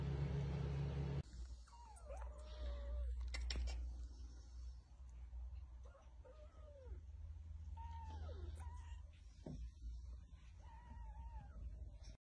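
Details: British Shorthair kittens at play give thin, wavering meows, some bending downward, scattered through the clip in short bursts over a steady low hum.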